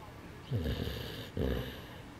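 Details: Sleeping Bernese mountain dog, apparently worn out, snoring: two low, raspy breaths a little under a second apart, each a rough rumble with airy hiss on top, in an otherwise quiet room.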